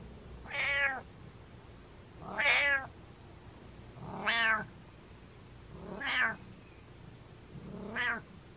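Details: Domestic cat meowing rapid-fire: five loud, bright meows, each rising then falling, spaced about every one and a half to two seconds in a quiet indoor room.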